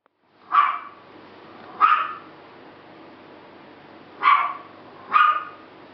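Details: Bulldog puppies, a pair of sister pups, giving four short, high yipping barks spaced one to two seconds apart against a quiet background.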